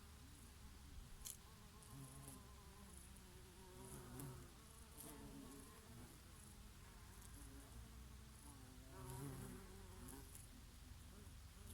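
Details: Summer bees grazing on oregano blossoms: repeated humming fly-bys, each a low droning buzz that swells and fades, set against constant wind noise in the background.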